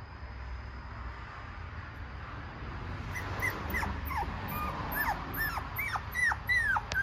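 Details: Shiba Inu puppy, an energetic male sired by a JKC champion. After three quiet seconds, a run of high, thin whimpering yips begins, each sliding downward, coming about twice a second and growing louder toward the end.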